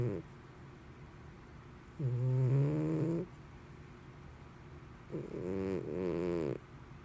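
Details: Sleeping cat snoring with a human-like sound, loud at times: two long, deep, vibrating snore phrases with a wavering tone, separated by a quiet pause.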